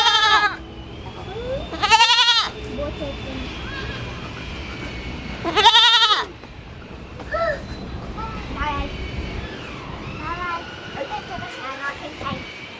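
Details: A young goat gives loud, wavering bleats in short bursts, with people talking quietly in between.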